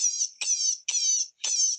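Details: Baby white-tailed hare in distress, which screams like this only when nervous: four high, piercing, slightly wavering screams, each under half a second, in quick succession.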